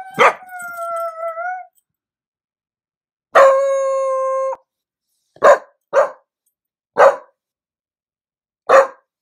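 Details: A Pembroke Welsh Corgi puppy, howling like a wolf as he does on hearing an ambulance siren or other howling, gives two sustained, steady howls followed by several short, sharp barks.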